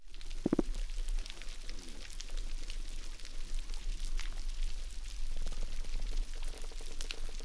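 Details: Coral reef chorus on a well-preserved reef off southern Cuba: snapping shrimp crackle steadily in a dense fizz of tiny sharp clicks, with fish faintly croaking and thumping from their swim bladders.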